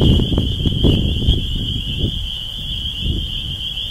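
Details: A dense chorus of spring peepers (Pseudacris crucifer) emerged from a swamp to mate on April 12, early spring, in East Dennis, Cape Cod, Massachusetts: high piping peeps blurring into one steady, shrill ring.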